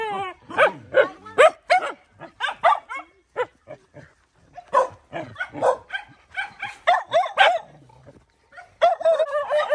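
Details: Mother dog fighting to protect her puppies: a rapid, uneven string of high yelping barks and snappy yips, some rising and falling, a short pause, then a final burst of barking.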